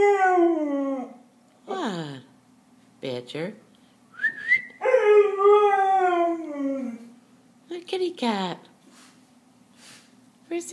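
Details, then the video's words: A dog howls a little while looking for his friend, giving drawn-out falling howls and a few short yelping rises, with a brief whistled note in the middle and quiet gaps between the calls. "A little howl"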